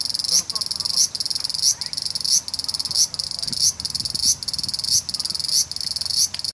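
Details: A large brown cicada on a park tree branch sings in the evening after 6 pm, a dense, sizzling buzz swelling in regular pulses, walking slowly along the branch as it sings.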